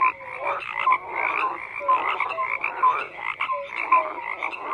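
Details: Chorus of frogs calling together, croaks rising and falling in bursts about once a second, with short whistled-sounding notes between the pulsed calls.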